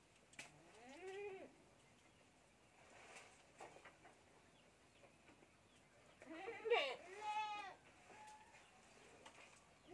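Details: Young goat kid bottle-feeding on milk, giving a few wavering harmonic bleats near the start and a louder cluster of overlapping bleats around the middle, with quieter clicks and handling noises between.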